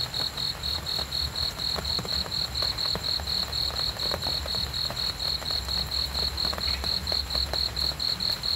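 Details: Cricket chirping steadily at night for sleep and relaxation, high pulsed chirps repeated about twice a second in an even rhythm, with faint low rumble and scattered clicks beneath.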